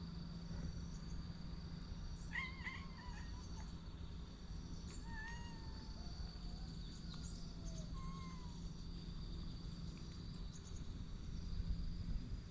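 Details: Skeleton Niki, an orange-and-white cat, outdoors in Japan: a short cluster of meows near two seconds, then a falling meow around five seconds and a brief quieter cry near eight seconds, over a constant low hum.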